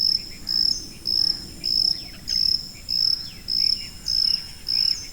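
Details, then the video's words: Shrill, high-pitched cricket chirps, eight short bright pulses spaced evenly about every two-thirds of a second, with a soft hiss of background noise beneath. "고주파_귀뚜라미3 / High-Frequency_Cricket3"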